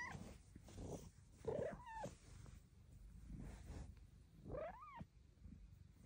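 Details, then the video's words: A female Bengal cat comes up to chat, giving two clear, tiny-voiced arching meows that rise then drop, talking back to her owner. "Kitty with the CUTEST meows ever!"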